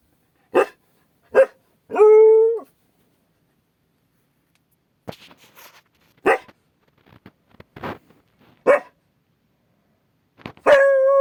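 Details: Akita guard dog named Mari, alert to a strange noise outside: short sharp barks, a brief steady howl near two seconds, more scattered barks and faint clicks, ending in the start of another held howl.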